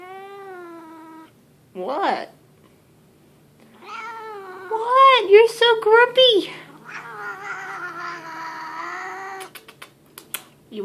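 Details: Leo, a grumpy pet cat that yowls out of the blue, gives long, moaning yowls, then a run of quick, wavering, growly pulses, and then a sustained, level yowl. A person speaks briefly.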